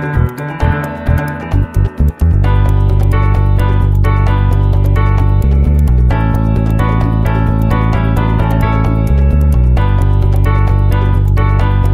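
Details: Upbeat electronic music with steady synthesizer beats and bass plays throughout, with no animal voice heard.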